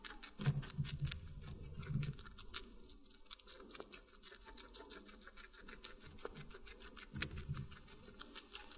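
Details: Watermelon being eaten by a guinea pig indoors: rapid crunchy bites in short clusters, with quieter nibbling and soft clicks between the louder bursts.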